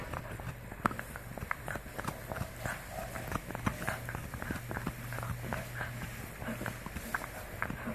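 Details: Indoors, a French Bulldog chomps on a full deer antler. Dense, irregular crunching clicks and scraping bites run throughout over a faint low hum.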